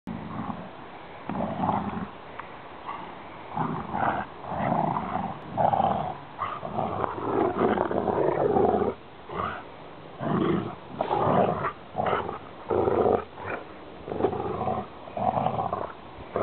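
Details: Two Rottweilers, a brother and sister, play fighting with a rope. They give repeated deep, guttural growls in rough bursts with short pauses. A person speaks encouragement throughout.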